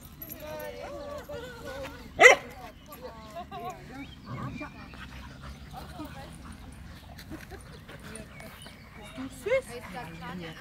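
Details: American Staffordshire Terrier named Caramello giving high, wavering whines and short yips, with a sharp loud burst near two seconds and another near the end, while people talk in German throughout.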